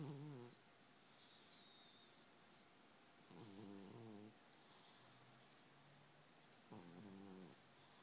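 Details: A sleeping, heavyset domestic cat snoring: soft rasping breaths with a low buzzy tone, one roughly every three seconds, over steady quiet room hiss.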